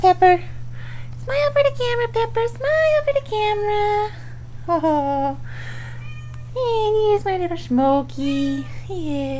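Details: Four kittens almost five weeks old meowing indoors: a run of high, wavering mews, some rising then falling, some drawn out, with short gaps between them and a person talking softly over them.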